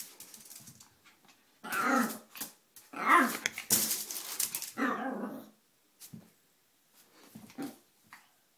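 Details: Feisty 4 lb female Yorkshire Terrier acting crazy and playful: bursts of harsh, growly barking in two long runs, then a few short, softer yaps spaced a second or so apart, with quiet gaps between.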